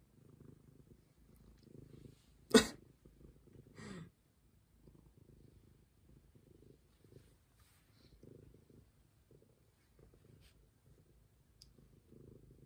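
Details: Stray cat purring softly in low, rumbling pulses, broken by one sharp sneeze-like burst early on and a short raspy sound just after; quiet room otherwise.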